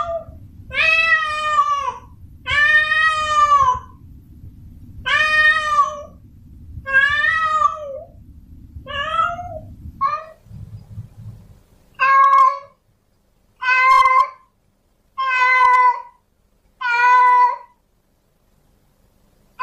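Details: Male domestic cat in heat calling a female: long drawn-out harmonic meows, about one every two seconds, some wavering, with a low rumbling background in the first half that stops midway.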